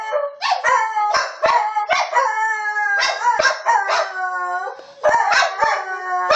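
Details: Dog howling in a series of long, wavering, harmonic howls that bend up and down in pitch, with several voices overlapping and brief clicks between phrases.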